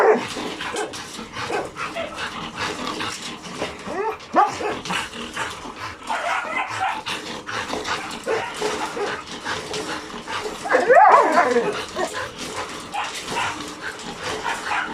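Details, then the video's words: Logan and Kaido, two very hyper dogs reacting to insects, birds and voices; irregular short yips throughout, with a loud wavering high whine around the eleventh second amid constant background noise. "Logan and Kaido very hyper, even insects, birds and voices catches their attention."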